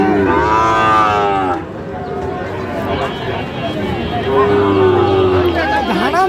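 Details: Sahiwal bull calf at a Dhaka-area livestock market, 28 November 2025, letting out a long, harmonic-rich bellow, then a second falling moo a few seconds later, with buyers talking nearby.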